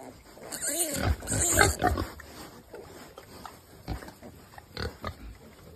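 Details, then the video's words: Baby piglet giving a wavering squeal followed by rapid grunts and snuffling, the calls tailing off into quieter scattered grunts, with a faint constant high whine behind. "Really Cutest Baby Piglet"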